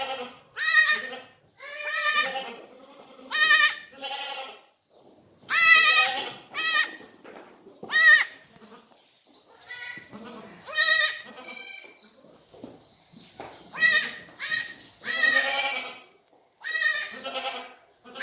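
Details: Farmed black goats recently moved into a new birthing pen in Gimhae, Korea, late February 2019, bleating repeatedly: a dozen or more quavering, nasal calls from several animals, some overlapping, spaced one to two seconds apart.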